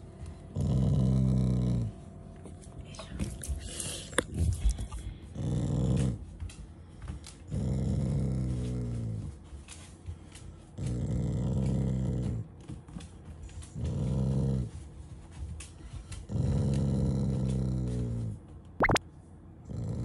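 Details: A pet Shiba Inu indoors growls, though not in anger but as affection, while refusing to leave the fridge. Low rumbling growls come in bursts of one to two seconds, roughly every two and a half seconds, with soft noises between.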